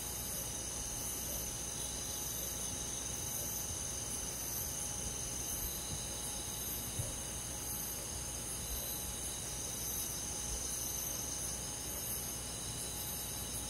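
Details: Crickets and other insects chirping on a summer night in a rural forest: a dense, steady high chorus with fast pulsing trills repeating about four times a second, over a constant faint low hum.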